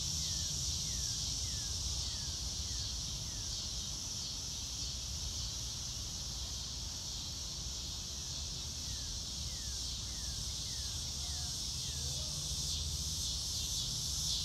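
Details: Crickets in a grassy outdoor setting under a blue sky: a steady, high, shimmering chorus runs throughout, with short descending bird-like slurs repeated in quick runs and a low rumble beneath.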